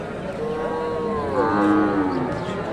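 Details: Cow mooing at the Dakumara cattle market in Bogura, Bangladesh, where local and Friesian cows and calves are sold: one long, steady, tonal moo of nearly two seconds that sags lower at its end, over crowd murmur.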